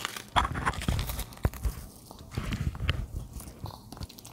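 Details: Charlie, a 13-year-old male dog, munches baby napa cabbage indoors. The bites come as dense, irregular crunches, with sharp cracks and wet chewing packed closely together in a small, quiet room.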